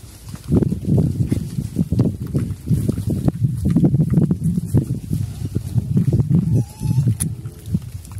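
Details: Pigs, locally called Chrouk Kandorl, on a farm in Cambodia, running around actively: a dense, almost continuous stream of deep, rough grunts, with a short thin whine near the end.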